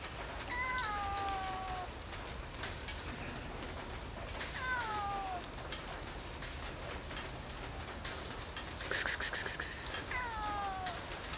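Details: Hungry cats meowing while being fed in the rain on a Sunday morning: three descending mewed calls, each sliding downward over about a second, spaced several seconds apart, with steady rain hiss and a brief clatter.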